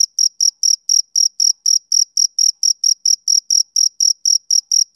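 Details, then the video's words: A male cricket sings on a summer evening, giving a continuous run of sharp, high trilled chirps at about four per second, steady and clean with nothing else audible. "Cricket Chirping Sound Effect"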